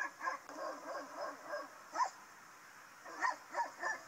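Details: Two Rottweilers locked in a car on a car park in Rennes, France, for at least three days, muzzles held shut by a muzzle and heavy tape, barking when someone approaches; muffled, strained yelps in short bursts, with steady background hum.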